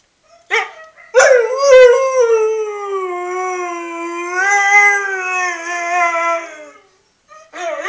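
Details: A three-year-old pet Siberian Husky howling in reply: one long, sustained, wavering tonal howl with rich harmonics that holds steady and slowly falls, lasting about six seconds, bracketed by short yelps.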